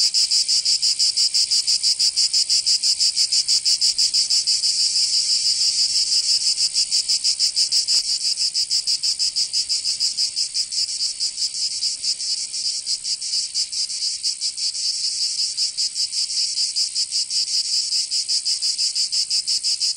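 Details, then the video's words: Summer cicada song from Provence in southern France: a continuous high, grating drone pulsing quickly and steadily, its loudness easing slightly in the later part, nothing else audible. "Canto Cigarra 🦗 [ Escuchar les cigarras en verano 10 H]"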